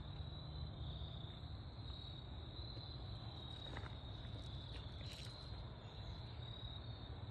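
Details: Autumn crickets in the woods at golden hour: a continuous, thin, even high-pitched trill over a heavy low rumble, with a few brief scratchy ticks near the middle.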